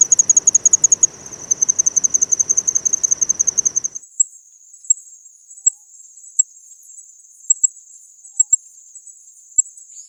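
A Kanetataki cricket gives high, thin metallic ticks, first in quick runs, then spaced single chirps.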